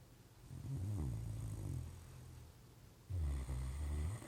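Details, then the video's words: Indoors, a Great Dane sleeps on the couch and snores: two long, deep, rumbling snores, the first drawn out over about a second and a half, the second louder and rougher, with softer breathing between. "Great Dane snoring"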